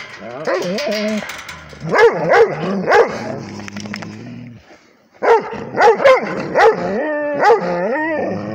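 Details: Rhodesian Ridgeback barking at a tablet indoors: bursts of sharp, pitched barks and yelps around two seconds and again near five to eight seconds, with a whining, harmonic tone between bark bouts and a brief quiet gap.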